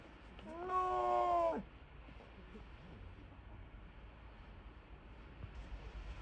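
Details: Snow leopard at Maruyama Zoo giving a cat-like call: a single drawn-out, slightly wavering harmonic mew lasting about a second, followed by quiet background hum.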